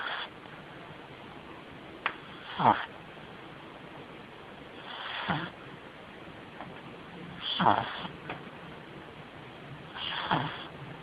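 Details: Stewie, a pug puppy, asleep, snoring in four broadband snorting breaths about two and a half seconds apart, each a short rasping burst with quiet breathing in between.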